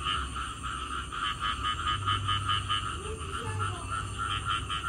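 Frogs call in a pulsing chorus after rain, a rapid rattling trill repeated over and over.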